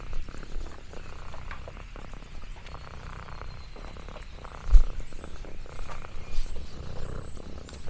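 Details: Quiet, soft low purring from Lexi, an orange tabby cat roaming a countryside farm, a gentle throbbing hum with occasional louder thumps and faint rustles.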